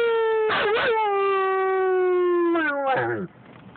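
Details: A male German Shepherd on a car ride, howling along with his owner, gives a long, steady howl that slowly sinks in pitch before breaking off.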